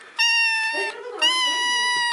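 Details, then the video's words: Little kittens playing and meowing; two loud, drawn-out meows at a steady high pitch, the second longer, separated by a short softer break. "Cute kittens play and meow"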